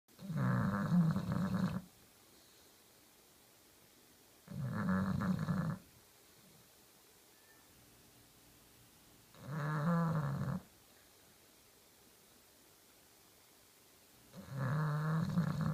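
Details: A pet Bulldog snoring while sleeping soundly: four deep, rumbling snore bursts, each about one to two seconds long, spaced roughly every four to five seconds with quiet pauses between, low and throaty with no other sounds.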